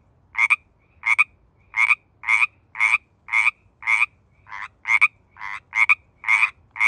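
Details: San Francisco Bay Area Pacific chorus frog in mating season, giving crisp doubled croaks in a brisk run of about thirteen calls in seven seconds, rhythm slightly uneven, with near silence between notes.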